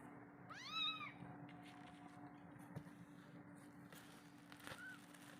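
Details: Kitten left alone by its mother, calling her for milk: one clear, high, arching meow near the start, then a fainter short mew later over a steady low hum and quiet background.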